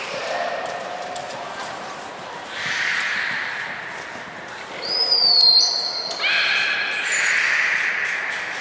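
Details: Beluga named Nana in a training session at Nagoya Port Aquarium, 13 April 2019: high whistled rising tones with bright overtones near the middle, then stacked tonal calls, over people talking in an echoing hall.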